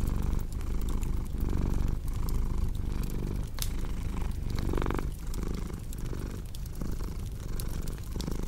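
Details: Continuous purr of a cat, a low throbbing hum broken into breath pulses about once per second, with bright crackles and pops from a burning fireplace.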